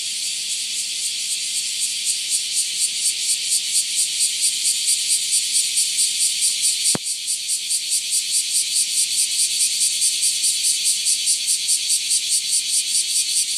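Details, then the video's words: Cicadas in a Japanese summer chorus: a dense, high, hissing buzz that pulses steadily, a few beats each second. "Summer feature of Japan -cicada chorus-"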